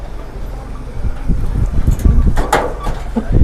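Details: Low rumbling and knocking build up, with a few brief voice-like bursts and clatter.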